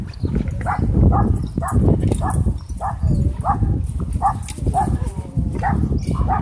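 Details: Husky at a dog park, frantically crying for help before being rescued by an air horn; sharp yelping cries repeat about twice a second over a heavy low rumble of background noise.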